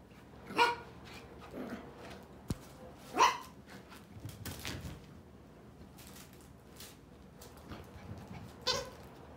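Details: Male miniature poodle puppies: several short, high whining yelps come in brief separate bursts, a few seconds apart, over low background rumble and occasional handling noise.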